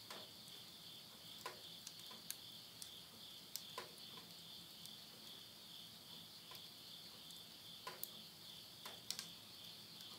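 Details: Countryside insects in Tottori, Japan, calling at midnight in September 2020: a continuous high buzzing drone holds steady, broken by frequent snapping clicks from a wood fire burning in a house stove.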